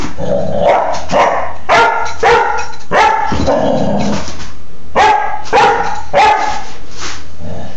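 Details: Playful barking from Baja, a young female Doberman pinscher aged four months and two weeks, recorded 2/26/11: hoarse, throaty barks repeat in quick, irregular runs, about one to two per second, with brief gaps between clusters.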